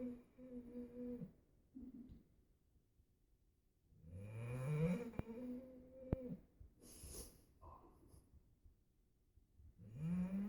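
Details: A dog snoring indoors in a small room: low droning, nasal snores with a steady hum, slow breaths that rise in pitch near the end of each snore, quiet pauses in between, and a faint click or two.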